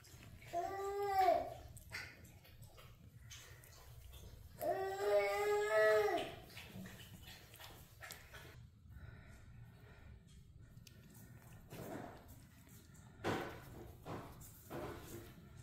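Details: Playful Dachshunds at play indoors; two drawn-out, high, wavering whines with stacked overtones, the first about a second long and the second nearly two seconds, followed by scattered knocks and rustling in a small room.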